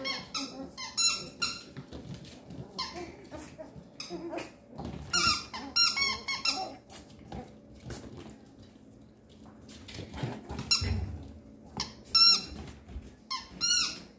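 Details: Thirteen-day-old male Papillon puppy indoors, giving many short high squeaks and thin whimpers in scattered bursts, some with rising-falling tones, over a faint steady hum and soft rustling.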